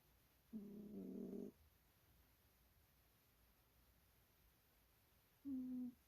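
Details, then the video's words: A sleeping cat snores: a rasping, droning burst of about one second with layered overtones, then a quiet pause of several seconds before a shorter, steadier snore begins. "snoring cat"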